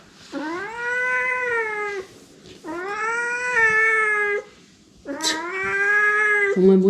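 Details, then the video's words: Domestic cat indoors, yowling loudly after spilling its water bowl: three long, drawn-out harmonic yowls, each scooping upward then holding a steady pitch for over a second, separated by short pauses. "물 쏟아놓고 큰소리치는 고양이"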